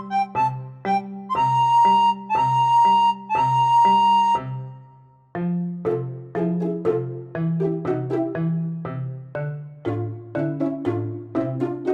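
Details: Bright flute-like melody over plucked keyboard notes, playing steady repeating phrases with no animal sounds.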